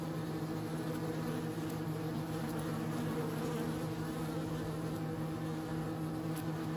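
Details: Unbroken bee hum, low and resonant, holding one steady droning pitch all the way through.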